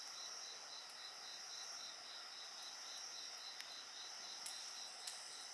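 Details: Insects singing at night beside a crackling bonfire: a steady high trilling band with a faster pulsed chirping line just below it, continuous throughout, broken by sharp pops and snaps of burning wood.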